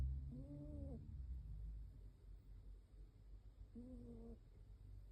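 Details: Sleeping Shiba Inu snoring: two drawn-out nasal whistles, each about half a second, come roughly three and a half seconds apart over a steady low breathing rumble.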